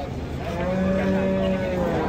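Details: Large cattle being unloaded from a truck; a low, steady moo held for over a second, sliding slightly upward, set against constant engine hum and crowd noise.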